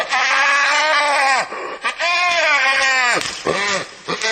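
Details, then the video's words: Hyena giving loud, harmonic, nasal cries that bend down at their ends, in a run of about four drawn-out calls with short breaks, with no other sounds. "Real Hyena Sound I Sonido de Hiena Real I Vrai Son Hyène"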